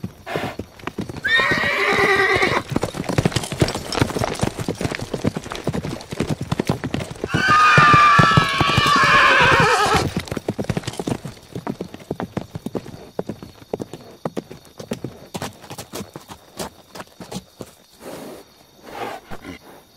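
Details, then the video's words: Galloping horses with rapid, steady hoofbeats throughout, interrupted by two broad, rough whinnying bursts, the longer one lasting about two and a half seconds. "Sound of Horses - Galloping Horses - Neighing Horse"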